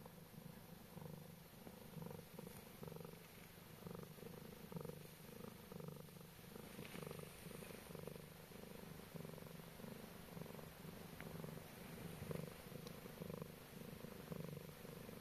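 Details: Sleeping sweetly beside ducklings, a Scottish Straight cat gives a continuous low purr, rumbling in regular pulses of inhale and exhale, with occasional thin duckling peeps and small clicks.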